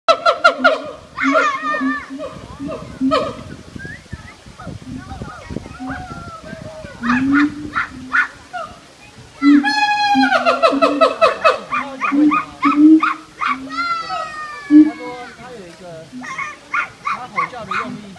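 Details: A captive Siamang at Taipei Zoo gives loud, harmonic whooping calls with quick rising sweeps and bark-like notes.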